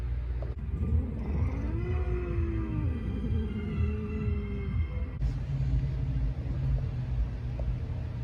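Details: Talkative male orange rescue cat housed at a Pasadena, California shelter utters a drawn-out, low, wavering meow lasting about three seconds, rising then sagging in pitch, with constant low rumbling noise throughout.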